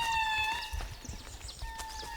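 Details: An indri, the largest lemur, in a Madagascar forest gives a long, steady, horn-like wail echoing across the valley; the call carries for miles and helps indris find each other and know where families are.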